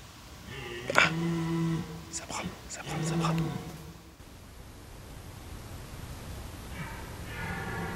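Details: A rutting red deer stag bellows at night in a French forest, a few metres away, calling to other males as they fight over females. Two deep, harmonic, groaning roars about two seconds apart are followed by a fainter drawn-out call near the end.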